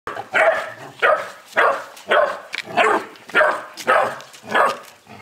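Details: Angry Boerboel puppy, 11 weeks old, barking; short harsh barks repeated roughly every half second, seven in a row with brief pauses between.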